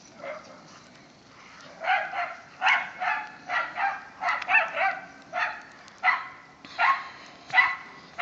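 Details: Whippets Mikey and Kieran with rat terrier Wiley and Zoe romp in the season's first light snow. Sharp, harmonic yapping barks come in quick bursts, roughly one or two a second, with brief pauses between runs.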